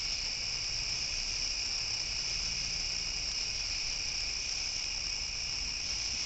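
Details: A dense night chorus of crickets near a pond, with steady high trilling and no breaks as many give the continual background chirp. Light rain is starting and a dog barks somewhere.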